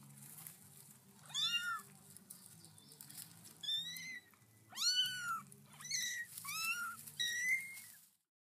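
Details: Several kittens cared for by a protective Black Australorp hen give sharp, high mews, each one quickly rising then sliding down, in short bursts separated by brief pauses, over a soft low background hum.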